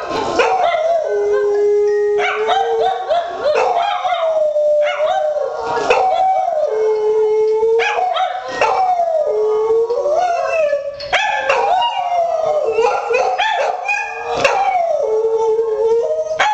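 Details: Two pet dogs, Buddy the hound and Courage the poodle, howl together at home in response to a missed-call phone ringtone; long sustained wavering howls, overlapping and rising and falling, broken by brief sharp barks throughout.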